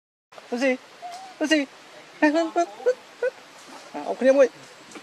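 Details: Baby monkey named Lucie, hungry for milk, crying: short high, tonal whimpering squeals in quick bursts, some rising then falling, repeated in clusters with brief pauses over a quiet background.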